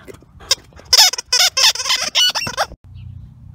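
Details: Stanley, a two-year-old Welsh Terrier at Wire Fox Terrier Rescue Midwest, plays with his big blue ball, giving a quick run of short, bright, harmonic yelping grunts over about two seconds, then quiet low rumble.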